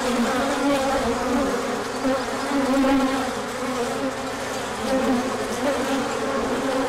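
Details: Many bees out in sunshine after a cold spell, making a big orientation flight in March 2024. Layered droning buzz, several wavering pitches overlapping, steady loudness with slight swells.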